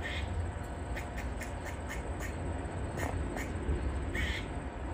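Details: Grey squirrel barking in a tree, a distress call given when a predator is nearby; short, sharp, harsh chucks in quick irregular runs over a steady low rumble of background noise.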